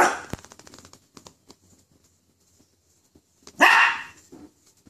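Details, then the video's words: Toy poodle scared of a toy poodle gives a single sharp, loud bark after a quiet stretch of faint rustling and small clicks. "a poodle scared over a toy poodle"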